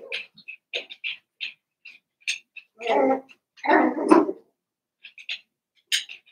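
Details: Seven-week-old Cavalier King Charles Spaniel puppies from Daisy's litter in an indoor puppy pen at home: short high squeaky whimpers come in quick scattered bursts, broken by two longer lower human-voice passages.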